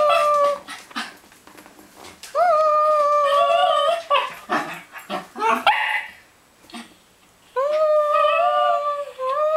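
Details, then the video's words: Theo the Cairn Terrier sings for a thrown ball in a small room: drawn-out, level howled notes separated by sniffs, small yips and shuffling noises, with a final long steady howl near the end. "Theo, The Singing Cairn Terrier"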